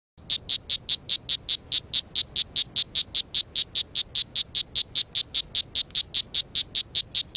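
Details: A strawberry poison dart frog (Dendrobates pumilio) calling in Costa Rica gives a rapid series of high, buzzy chirps, evenly repeated.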